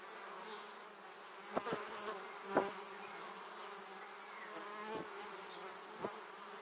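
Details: Honey bees flying past a 360-degree camera close by on their way to their beehive, filmed in 2017: a steady swarm hum with harmonic bands, broken by several sharp louder fly-by buzzes around one and a half, two and a half, five and six seconds.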